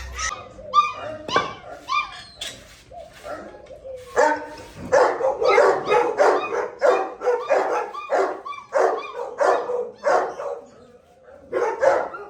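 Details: Gultair (Gull Terrier) bully dogs, a male and a pregnant female, at a kennel where many dogs are barking: a burst of sharp barks, then a long run of loud, rhythmic barks at roughly one or two per second, with whiny yelps mixed in.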